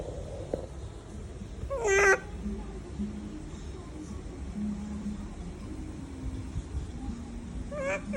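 A young monkey gives a brief, loud, mewing cry that rises and falls, with a fainter repeat later.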